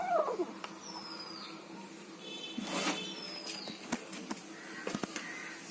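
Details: Kitten eating food and making odd noises: a brief falling squeak at the start, then scattered wet smacking and chewing clicks over a steady low indoor hum.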